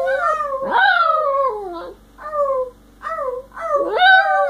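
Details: Pet Yorkshire terrier, two years old, male, howling: a series of short, falling, whiny howls separated by brief pauses, ending on a rising wail.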